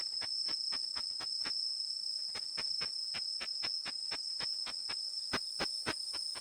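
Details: Ultrasonic call of the Japanese katydid Tettigoniopsis ikezakii, converted to audible sound by a bat detector: crisp ticking clicks at a rapid uneven pace, pausing for nearly a second midway, with a constant high-pitched tone behind.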